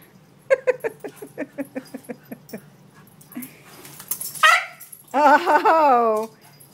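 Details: Indoors, Australian Cattle Dog cross Scout plays with Sami: a quick run of rhythmic pulsed grunts, then a rising yelp and a long loud whining howl that bends downward, with a person speaking nearby.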